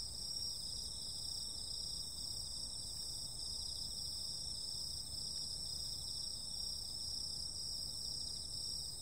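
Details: Nocturnal summer insect chorus: steady, pulsing high-pitched trills that never pause, in layered bands over a soft low background rumble.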